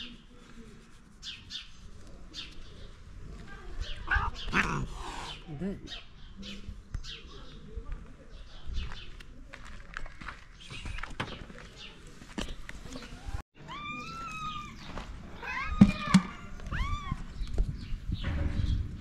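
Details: Stray cats on a street in Morocco ask for food, giving several arched, harmonic meows in the second half, which rise then fall. Earlier there is scattered clatter and faint chirps, and a man talks to them throughout.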